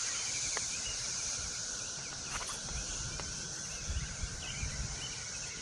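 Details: Cicadas in the trees give a steady, high, hissing drone, likened to crickets, filling the whole clip on a walk with puppies after morning drizzle, over low rumbling handling and footstep noise.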